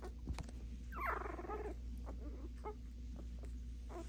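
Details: Puppies barking at each other: one short, rough, harmonic yelp-like call lasting under a second, falling slightly in pitch, with faint scattered clicks and a steady low hum underneath.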